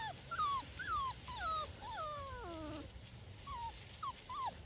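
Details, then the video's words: Hovawart puppies outside with their mother Adie on 30 October 2024, marching through woods and leaves, playing and exploring before meal time; repeated high, falling whines and yips, many overlapping, about two per second. "Hovawarts puppies outside playing with Adie"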